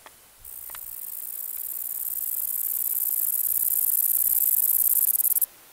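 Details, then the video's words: Kerik meadow katydid (Conocephalus melaenus) delivering one sustained, very high, finely pulsed buzz for about five seconds. It grows steadily louder before stopping abruptly, with a few faint clicks near the start. "Kerik meadow katydid (Conocephalus melaenus)"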